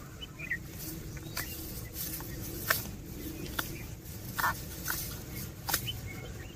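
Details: Cows and oxen eating grass while walking; sharp crunching snaps of torn grass every half second to a second over a low rumbling background, with a few soft bird chirps.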